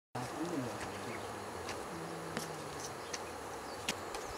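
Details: Honey bees buzzing at an organic honey bee hive in a village: a low, steady droning hum with faint rising and falling tones, scattered sharp clicks and taps, and a soft background hiss.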